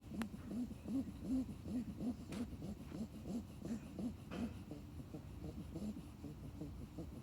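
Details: A sleeping puppy snores in soft, low, rhythmic puffs, about two or three breaths every second. The pattern is steady and fades slightly toward the end, over a faint room hiss.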